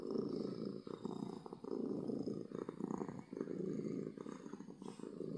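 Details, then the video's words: Happy domestic cat purring loudly, a steady low rumbling buzz pulsing in long waves with brief dips between breaths, close and continuous indoors. "Cat Purring from Happiness"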